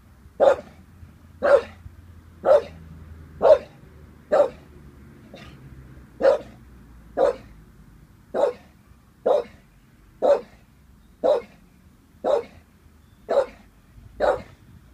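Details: Staffordshire Bull Terrier named Vinnie, 18 months old, unsure of a balloon; loud single barks repeated about once a second, fifteen in a row, fairly steady, with a low background hum.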